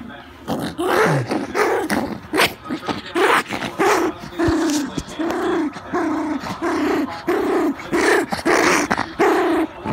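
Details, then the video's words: Annoyed pet dog grumbling back, a run of short low growly huffs and half-barks repeating roughly every half second, mixed with bursts of noise and a human voice early on. "Grouchy Dogs"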